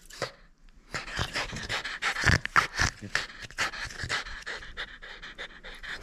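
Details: Playful French Bulldog holding on to a toy it will not surrender, panting hard and fast, about four breaths a second, with harsh snorty bursts that peak around the middle.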